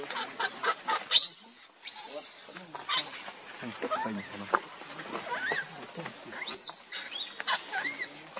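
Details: Baby monkey Lucie, angry with her mother Luna, crying: shrill high squeals and chirping cries come in quick bursts throughout, some rising and falling, over a steady high-pitched hiss.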